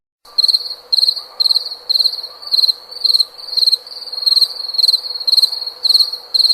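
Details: Cricket chirping in loud, regular pulsed bursts of shrill trilled notes, about two per second, with a faint steady hum beneath.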